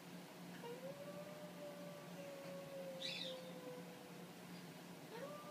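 An Italian Greyhound howls in a long, steady, thin note that wavers slightly, then starts another.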